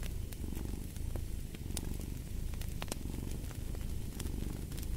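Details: A domestic cat purring steadily beside a fireplace, a low rumbling purr in waves of roughly one per second, with sharp crackles and pops of burning wood scattered throughout.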